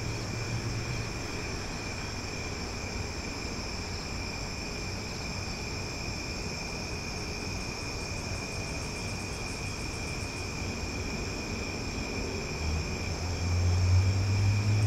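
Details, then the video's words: Loud cicadas on a summer night in Omaha: a steady, shrill drone of several constant high tones, with faint rapid ticking pulses above it for most of the stretch and a low traffic rumble underneath that swells near the end. "Cicada Sounds for Sleep"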